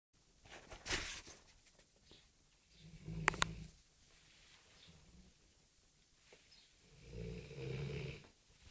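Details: A Rhodesian Ridgeback dog snoring indoors: low rumbling breaths around 3 seconds and again near 7.5 seconds, with a louder snort or shuffle near the first second and quiet pauses between breaths.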